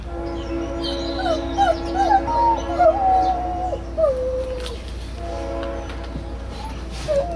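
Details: Two Great Pyrenees dogs howling together in response to a train horn a few blocks away; wavering, sliding wolf-like howls overlapping from about one to five seconds, then resuming near seven seconds over a steady low hum and faint horn tone.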